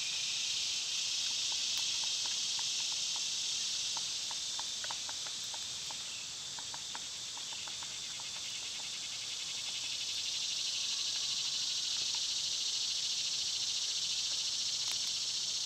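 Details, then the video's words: Cicadas in summer fill the air with a loud, steady, hissing drone, high and unbroken throughout, while faint scattered ticks and clicks sound underneath. "Cicada sounds"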